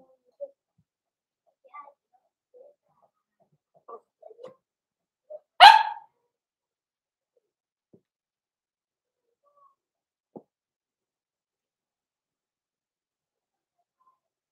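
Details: Blenheim Cavalier King Charles Spaniel puppy, from a small litter born 14 November 2022, indoors in a home puppy pen. Faint squeaks and soft whimpers, then one sharp, loud bark near the middle, followed by near silence.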